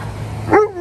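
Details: An Alaskan Malamute, a talkative dog, gives a brief, rising-then-falling whine-like vocalization, a short talking sound, while being told to sit on a walk at a farmer's market.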